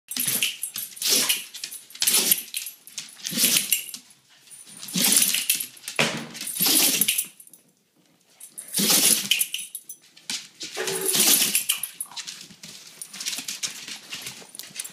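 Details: Wheaten terrier, a pet dog, sneezing repeatedly when its owners come home or when excited; sharp broadband snorting bursts roughly every second or two, with brief pauses between.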